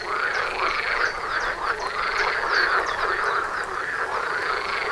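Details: Frog concert by a front door, numerous frogs croaking together in a dense, rattling, unbroken chorus.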